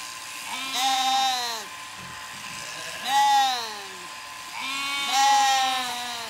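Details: Zwartbles sheep on a County Kilkenny farm in Ireland, with late lambs confused by their newly shorn mother's changed look and smell. Three loud, drawn-out, wobbling bleats follow one another about every two seconds.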